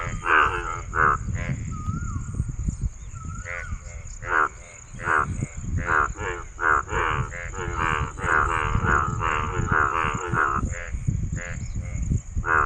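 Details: Male frog giving rapid, rough, pulsed croaks in an irregular run. Two brief whistled notes are heard early on, over a low rumbling background and steady high hiss.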